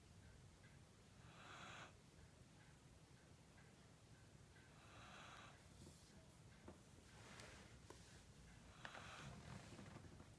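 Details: Sleeping pet Corgi, apparently dreaming, snoring indoors: a few soft hissing breaths spaced roughly three seconds apart, with small clicks and rustles between them.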